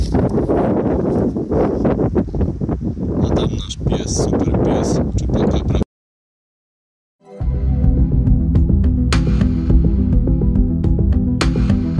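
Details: Loud music and talking fill the opening, a short stretch of silence follows, then music resumes with no animal voice.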